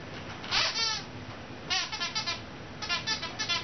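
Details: Ruby, a 2-month-old French Mastiff (Dogue de Bordeaux) puppy, on her first night at home while Bubba, a 2-year-old American Bulldog, watches. High, wavering whines come in short bursts, then a run of quick pulsing whimpers, all indoors.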